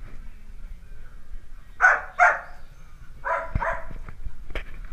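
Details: Two clear, bright puppy barks in quick succession from Dalmatian puppies at play, then a second pair of slightly lower yaps a second later. The background is otherwise quiet, with a few small knocks.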